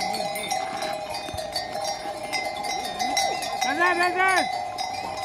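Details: Sheep grazing on a farm: one wavering, harmonic bleat rises and falls near the end, over steady ringing bells and a man calling a name and urging animals on.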